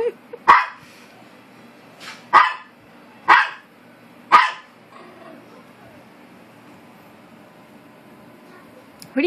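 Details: Maltese dog arguing with another dog: four sharp, isolated barks spaced one to two seconds apart over quiet room noise, with a person speaking around them.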